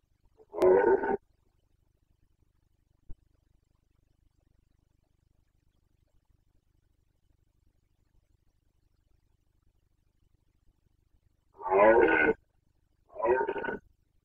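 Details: Red deer stag of the Carpathians bellowing in the 2021 breeding season in Bucovina, Romania. One rasping roar opens, then a faint click and a long quiet gap, then two roars close together near the end.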